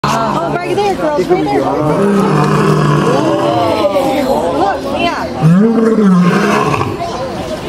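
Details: Lion at the Bronx Zoo, USA, captive, gives a deep groaning roar that swells and falls near the end, following several seconds of crowd chatter and overlapping voices that dominate the start.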